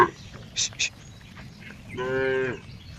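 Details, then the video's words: Cow with a funny sound: a single short moo near the end, preceded by two sharp high clicks and quiet background noise. "cow funny sound"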